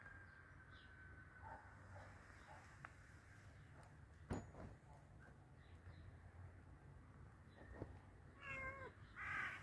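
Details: A hungry cat at feeding time gives short, bright meows near the end after a long stretch of quiet shuffling and clicks.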